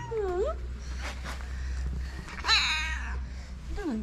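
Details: Street calico cats in Morocco crowd around people, meowing for love and food; several overlapping meows, one dipping and rising, a loud bright meow midway and a falling one at the end, with low rumbling background and some human voice.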